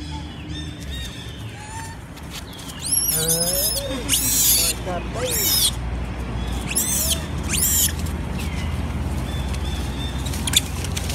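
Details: Many monkeys crying loudly, said to be hungry for food: high, shrill screeching cries that rise and fall in short bursts, several voices overlapping, over a steady low rumble of background noise.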